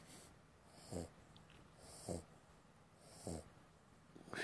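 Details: Sleeping puppy, the runt of the litter, snoring indoors: soft wheezy snorts roughly once a second, each short rattling breath low and nasal, with faint higher hissing between.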